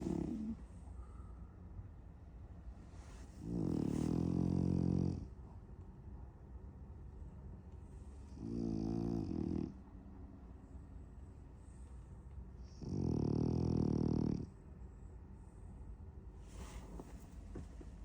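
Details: French Bulldog asleep and dreaming of chasing cats, snoring in three deep, rumbling, harmonic bursts of one to two seconds each, about four to five seconds apart, with quiet breathing between them.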